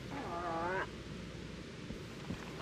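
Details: A cow moose gives her mating-season call, termed a protest, which may attract more bulls: a brief nasal, wavering moan that lifts in pitch at its end.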